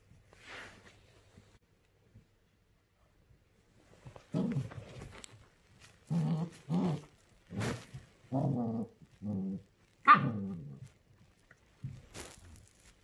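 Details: A female puppy in her first week at a new home, barking at a new toy she dislikes; a string of low, grumbling muffled barks and growly yaps, about seven bursts spaced a second apart, in a quiet room.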